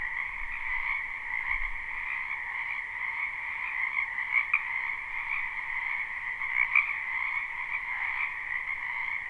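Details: Croaking chorus of many frogs from a wetland in spring, recorded live without loops; the dense trilling drone stays continuous while a few nearer callers push out louder bursts around the middle.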